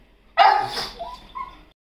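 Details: Pet pug at home giving one sudden, loud, harsh bark, followed by a couple of fainter tonal squeaks before falling quiet.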